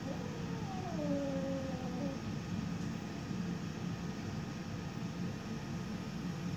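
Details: A young female Siberian cat, 10 weeks old, meets her reflection and growls at it. Near the start comes a single short descending moan, then only a low, even background hum.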